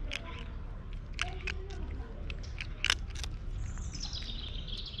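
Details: Domestic cat whose meowing sounds like a squeaky toy: a drawn-out, very high-pitched squeal that slowly falls at the end, preceded by brief clicks and soft taps, with steady low room noise underneath.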